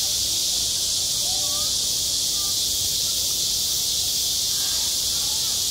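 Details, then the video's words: Summer cicadas at a school playground pour out a relentless high-frequency buzz. A few faint short whistled notes appear below the steady chorus. "한 여름 운동장에서 매미가 울고 있다 - 여름의 소리, 학교 종소리, 매미 울음소리"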